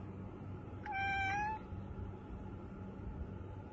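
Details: A cat hidden under the bed gives a single clear, steady meow lasting about half a second, set against a constant low room hum.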